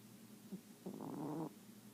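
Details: A sleeping Chihuahua in dreamland gives a faint snuffle, then a half-second nasal, buzzy snore with a slight wavering tone, in an otherwise quiet room.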